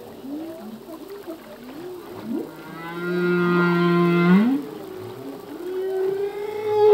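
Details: Male humpback whale singing underwater: wavering low whoops and groans, then a steady low drone with a higher harmonic layer, ending in a rising tonal moan.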